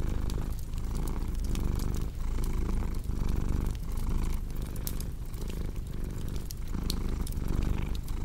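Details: Domestic cat purring beside a crackling fireplace: a continuous low rumble that swells and eases with each breath, about once a second, while sharp wood pops and crackles scatter over it.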